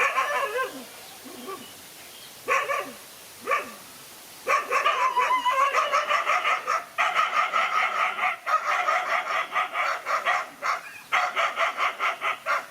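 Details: A lone dog fighting two male dogs; a few scattered barks open, then continuous rapid harsh barking and snarling, several bursts per second with brief pauses.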